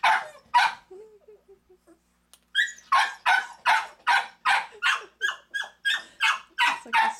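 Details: Dog barking indoors in a home with Big Allie, a nursing mother, and her four ten-day-old male pups; two sharp barks, a pause with soft low whimpers, then a steady run of loud barks, roughly two to three each second.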